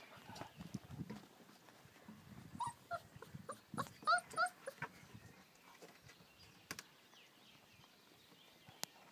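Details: American Akita puppies playing outdoors in their garden enclosure: a few short, high, thin whimpers and yelps cluster near the middle, surrounded by rustling, scuffling and soft thumps of the romping pups, with sharp clicks later.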